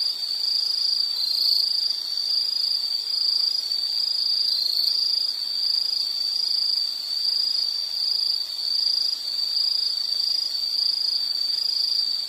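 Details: Insect chorus for background relaxation: a constant shrill, high trill with overlapping callers and a faint low hum, the sound barely varying in loudness.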